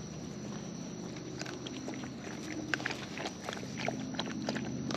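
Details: Wild raccoons feeding close up, their eating picked up as dense irregular clicks and crunching snaps, bunched more thickly in the second half, over a steady low hum.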